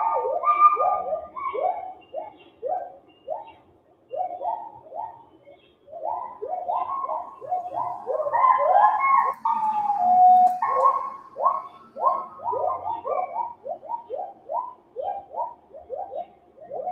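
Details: Male agile gibbon of Malaysia giving its great call, long series of rapid, rhythmic swooping hoots, each rising then dropping, in bursts separated by brief pauses, building to a louder, higher climax midway before resuming the steady pulsing notes.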